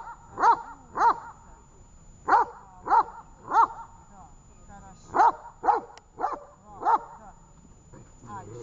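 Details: During a training session in Horlivka on 18 August 2019, the dog Tash barks in irregular clusters of two to four, separated by short gaps, with quiet voices underneath.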